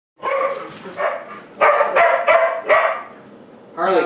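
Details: Pet dogs barking indoors while their owners play with them; several loud, harmonic barks come in an irregular burst around the middle, mixed with people talking and calling the dogs' names.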